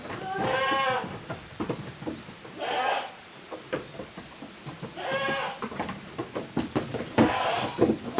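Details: Kids of Koharu and Okayu playing as two teams in a goat farm's exercise yard, Japan, 13 June 2023: several harmonic, quavering bleats about a second long, repeated every two seconds or so, over thuds and rustling.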